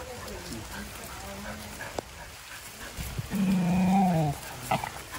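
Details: Dog named Vizil, excited at a reunion with his siblings Maggie and Shiney and his owner at a farm house; a tonal, wavering whine of about one second rises midway, with people talking in Telugu around it.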